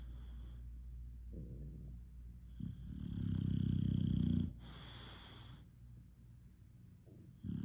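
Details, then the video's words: English Bulldog snoring: a low rumbling snore swells for about two seconds in the middle, framed by quieter breathing and a short snort-like burst. "English Bulldog snoring (Con chó ngáy)"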